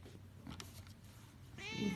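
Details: Domestic cat lying wrapped in a heated blanket, looking comfy; a short rising-then-falling harmonic meow comes near the end after a quiet stretch with faint room noise.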